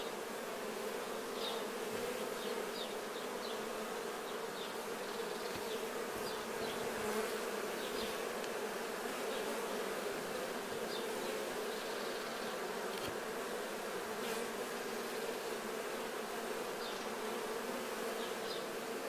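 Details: Honey bees cleaning unripe nectar off themselves while honey is harvested: a dense, steady low hum from many bees runs throughout, with faint higher buzzy streaks from bees flying past.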